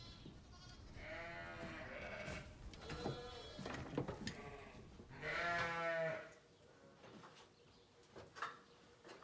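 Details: Hungry sheep bleating in a Saskatchewan, Canada ranch barn during March lambing time while hay bales are thrown down; several overlapping wavering, harmonic-rich bleats, loudest near the start and middle, with quieter barn noise between.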